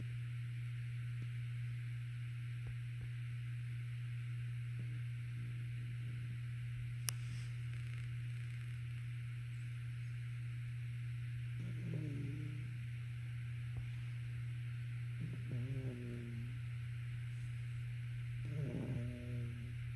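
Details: A sleeping female Shih Tzu Pomeranian mix snores in soft, nasal rasps about every three seconds.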